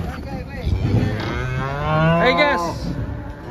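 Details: At Jelok market in Indonesia, a big cow coming down off a truck gives one drawn-out, deep moo that swells and fades, over handlers' voices and faint music.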